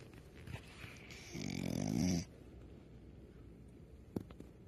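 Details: Dog snoring while asleep indoors: one raspy, fluttering snore of nearly a second rising out of quiet breathing, then low hum with a couple of faint clicks.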